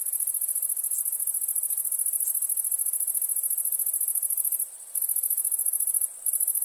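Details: Crickets at nighttime give a continuous, very high, finely pulsed trill that runs almost without break, with two short pauses, over a faint hiss.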